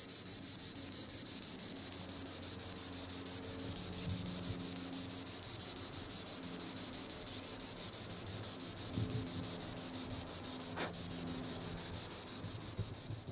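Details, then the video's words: Green annual cicada high in the trees producing a steady rasping buzz that slowly softens toward the end, one sharp click near the close, faint low tones beneath. "Green Annual Cicada tibicen linnei (Cicadidae) sounds recording in the treetops"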